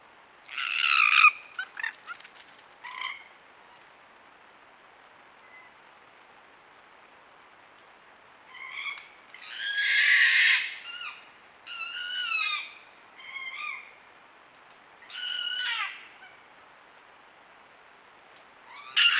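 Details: Red fox giving a series of harsh, harmonic barking cries in irregular clusters, with some long drawn-out calls and pauses of several seconds between groups, against a quiet background.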